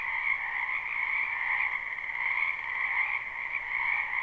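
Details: Wetland frogs in spring croaking en masse, a live unlooped recording: steady high-pitched rattling chorus with a lower accompanying band, slight rhythmic surges in volume, and no other creatures or noise.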